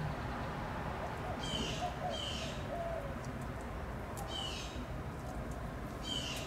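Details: Fox squirrel doe on a tree limb above a pecan feeder on a live oak in a front yard in Austin, Texas, barking in early April around 4:30 in the afternoon; short raspy barks in spaced pairs over steady background hiss.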